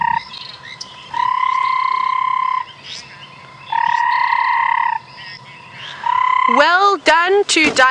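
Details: A banded rubber frog (Phrynomantis bifasciatus) calls at sunset after rain in a South African game reserve on 5 March 2017. The call is long, steady trilling whistles, each lasting over a second.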